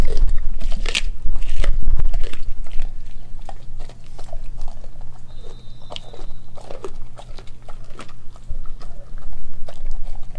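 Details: Nala, an Australian Kelpie and German Shepherd mix dog, eats raw beef liver, beef heart, chicken feet and chicken thigh. Bursts of wet crunching and biting come rapidly and irregularly, loudest early on, over a steady low indoor hum.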